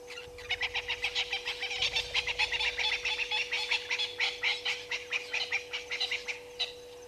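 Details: African painted dogs at Gowrie dam waterhole, Djuma Game Reserve, Sabi Sand Wildtuin, South Africa, 17:49 on 4 March 2022, picked up by a live waterhole camera: rapid, high, bird-like chirping twitters, dense and overlapping, over a steady electrical hum.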